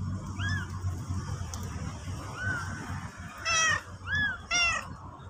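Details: Mother cat, black and stray, bringing her newborn out and then urging people to follow her back to the nest; faint arched calls, then two strong harmonic meows close together near the end, with low rumbling noise throughout.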